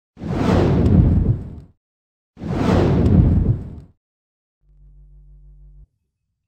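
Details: Two loud whooshing sound-effect bursts, each over a second long, followed by a short low electronic hum; no animal voice is heard.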